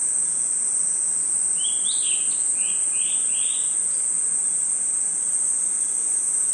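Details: Continuous shrill cricket and insect drone from a nighttime forest, joined around two to three seconds by a few quick rising bird chirps.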